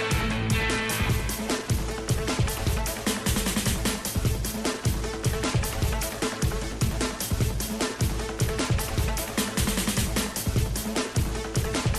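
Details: Loud, driving pop-style music with a steady beat and guitar fills throughout, and no animal voice can be picked out.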